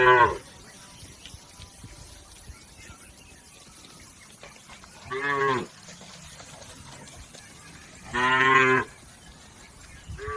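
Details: Village cattle grazing in a green field, three separate moos several seconds apart, each under a second and strongly harmonic, over steady background hiss.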